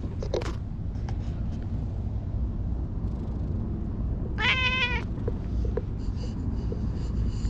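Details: Petted stray cat in a park, heard over several seconds of low rumble and light clicks, then lets out a single clear meow that bends slightly downward near the end.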